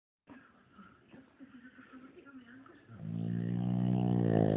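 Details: Shih Tzu named Chai, asleep and snoring: soft, quick, regular snuffling breaths for about three seconds, then a louder, droning nasal snore that builds to the end.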